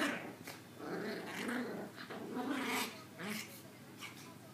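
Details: Two small female Maltese puppies give low, rumbling, polar-bear-like growls and soft yips at each other, with a person speaking in the background.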